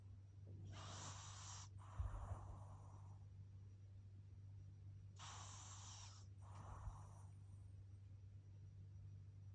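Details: Baby pug snoring in paired breaths, a long airy inhale then a shorter exhale, repeated twice about four seconds apart, with a low background hum.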